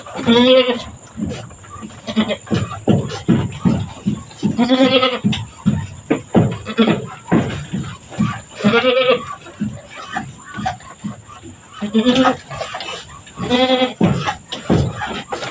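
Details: Mother goat on a farm giving birth, with two kids born back to back; repeated wavering bleats roughly every four seconds, overlapping with talking voices and a thin continuous high tone.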